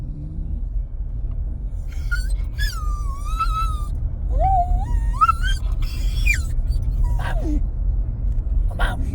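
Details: Truck-bound Jack Russell terrier Bo Duke, ready to get out, lets out thin high whines that climb and dip in pitch, separated by pauses, with engine rumble underneath.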